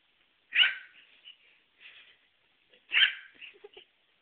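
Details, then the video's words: Dog barking on a mobile phone recording: two strong barks about two and a half seconds apart, with softer short yelps and whimper-like sounds between and after them. "barking dog"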